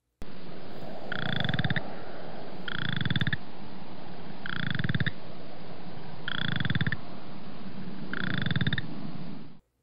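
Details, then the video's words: Western Chorus Frog, played for comparison with the similar Boreal Chorus Frog. Five short, pulsed, ratchet-like trills sound, each about half a second long, repeating roughly every two seconds over a low, rumbling undertone. "here's the Western chorus frogs call"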